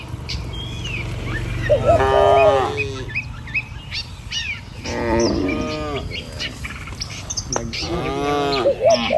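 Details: Cattle herd walking calmly along a rural road by rice fields toward a pen: three wavering moos spaced a few seconds apart, with small birds chirping above and a low rumble underneath.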